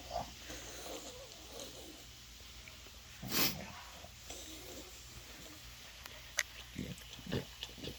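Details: A male French Bulldog rolled over for belly rubs gives short, piggy snorts and grunts, his happy noise, which his owner says wakes them all night, while a woman speaks softly.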